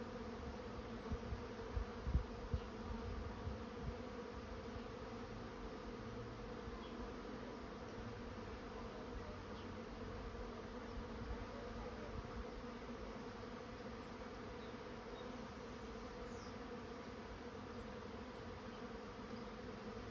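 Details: Honey bees swarming into a trap keep up an unwavering, many-toned drone for twenty seconds, with a single sharp tap near two seconds.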